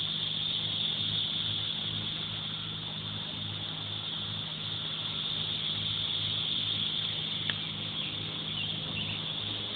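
Cicadas produce a loud, unbroken, high-pitched buzzing drone that holds steady throughout.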